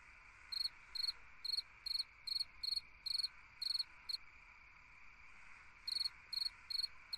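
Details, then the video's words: Summer-night song of a cricket, a run of bright, high pulsed chirps at roughly two per second, then a silent gap of nearly two seconds before four more chirps, with a soft steady hum underneath. "Chant d'un grillon dans une nuit d'été / Singing a cricket in a summer night"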